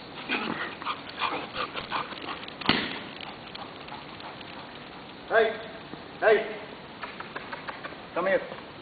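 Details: A Labrador Retriever in Dubai gives three short, tonal barks about a second apart after a person talks.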